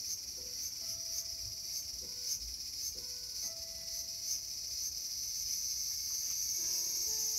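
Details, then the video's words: Garden cicada recorded August 5, 2020, a continuous shrill, hissing drone with faint rhythmic pulses, slowly swelling louder toward the end, over scattered soft held tones and low rumble. "The sound of Cicada."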